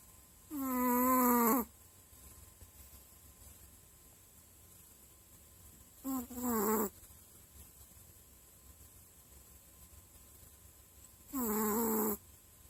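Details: A dozing dog snores in slow breaths, three tonal, wavering wheezes roughly every five seconds, each about a second long and slightly rising, with faint background hiss between them.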